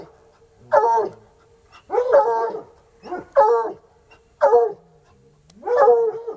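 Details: Coonhounds, two untrained dogs outside after a raccoon, bawl in loud drawn barks roughly once a second, each with a drooping whine at the end, over a faint steady hum.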